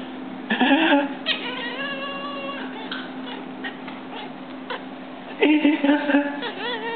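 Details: Domestic cat reacting to people sneezing, letting out two drawn-out, wavering yowls, one near the start and another near the end. Steady music and human voices run underneath.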